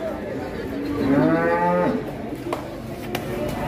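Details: Rampaging cow scaring local residents gives a loud bellowing moo lasting about a second, wavering then falling, followed by sharp knocks and voices in the background.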